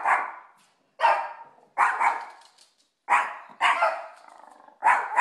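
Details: Siberian Husky dogs reacting: a series of loud, harsh barks and yelps, six bursts spaced roughly one second apart, each rough and noisy with a quick decay, in a quiet setting.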